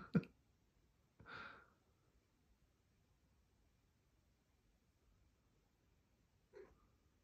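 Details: Pebbles, a Maine Coon cat, chatting indoors in the morning while clawing the carpet: a short sharp chirp, then a half-second tonal trilled meow, then long quiet before another brief chirp near the end, in a still room.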